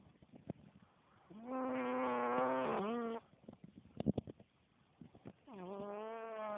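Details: Gorda, a female pet cat, snoring in deep sleep: long droning, buzzy tonal snores of about two seconds, separated by a roughly four-second quiet gap with faint clicks and breaths.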